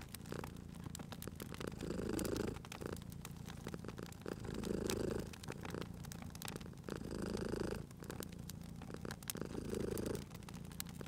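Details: Sleeping cat by a fireplace purring steadily: four clear swelling rumbles spaced about two and a half seconds apart, with fire crackle and snapping embers filling the gaps.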